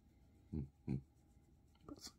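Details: A 2-year-old blue French Bulldog named Bob, loving attention indoors, gives two short low snorting grunts about a third of a second apart, followed by faint rustling.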